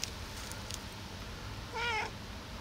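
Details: In the morning a cat asking to be fed gives one short, wavering meow near the end, after a stretch of quiet room noise.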